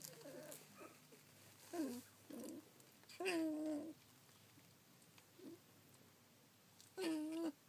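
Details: Sixteen-day-old collie puppies, recorded 3 June 2013: a few separate drawn-out whines that waver up and down, each lasting under a second, with quiet gaps between them.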